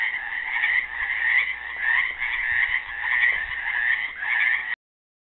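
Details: Chorus of frogs caught in the Helix, Oregon pool on Earth Day 2016, with classical guitar offered to them: overlapping croaks form one thick, pulsing wall of sound before it cuts off abruptly.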